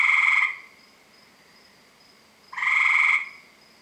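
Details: A couple of tree frogs calling at night from around 7 PM, surrounding a house: two loud, grating, buzzy bursts of about half a second each, two seconds apart, with a faint steady whine between.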